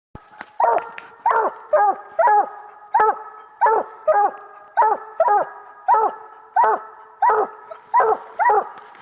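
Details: Young coonhound pup about a year old, one of two hounds named, barking treed after a raccoon during a coon hunt; loud chopped barks with falling tails, about one or two per second, fairly steady, with a faint constant hum behind.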